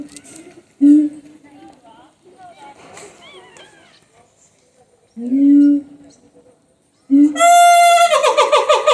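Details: Siamang at Higashiyama Zoo: three loud, low, hooting notes that swell and fall, with quieter sliding tones between, ending in a sharp high harmonic-rich call followed by rapid bright pulsed notes.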